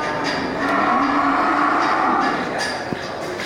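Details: Local cattle, bulls ready for slaughter, at the Geulumpang Payong livestock market on 8 May 2021; a drawn-out, steady lowing moo of about two seconds rises over a dense, busy market din.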